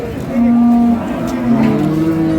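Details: Dairy cattle at Ambari market, Dinajpur, Bangladesh: a short, flat, steady moo of about half a second, followed by a softer second low note, with men talking over the crowded market.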